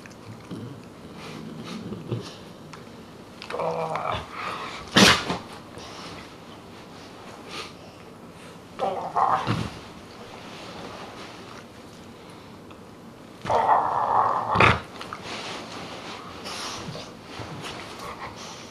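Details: Pet dog that is three quarters Dogue de Bordeaux and one quarter Rottweiler: three short, harmonic, mid-pitched vocal bursts about five seconds apart, each joined by a sharp broadband thump, over a low steady background hum.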